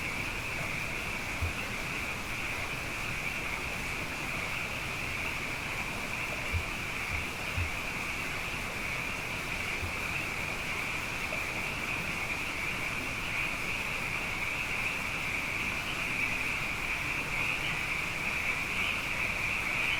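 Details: Abundant frogs, after two wet years, fill the night with a constant high-pitched chorus; toward the end single calls stand out faintly above the steady wash, and a few soft low knocks occur.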